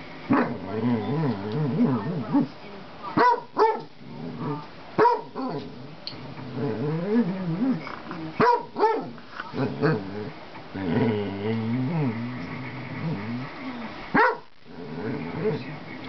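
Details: Basset hound trying to make friends with a household cat, keeping up a long run of wavering moans and grumbles broken by sharp barks, some of them paired, over about sixteen seconds.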